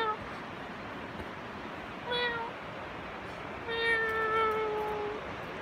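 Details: Cat meowing at a squirrel, giving a short meow followed by a long drawn-out, steady harmonic meow lasting well over a second, with faint background hiss and small clicks.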